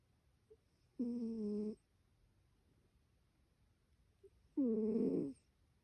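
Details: Snoring from Ryu, a cat asleep indoors: two droning breaths of under a second each, about three and a half seconds apart, low and buzzy with stacked overtones, with near-silence between them.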